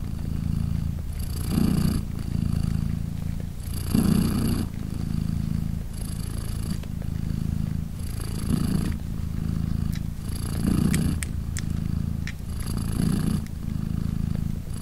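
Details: British Shorthair mother cat Polina purring steadily as her three 3-day-old kittens nurse beside her. A deep, even rumble pulses in regular breath cycles about every two seconds, each swelling then easing, with faint soft rustling.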